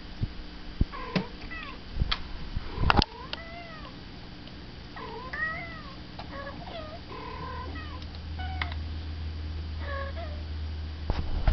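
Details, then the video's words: House cat responding to talking cats; repeated bent, wavering meows come in quick clusters, interrupted by thumps and clicks, with a low droning hum building toward the end. "Talking Cats"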